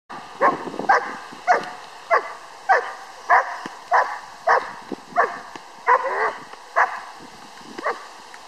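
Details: Ammo, a 6-month-old Czech German Shepherd puppy, during bite work training, barking sharply and repeatedly, roughly one bark every half second to second, each a short mid-pitched burst.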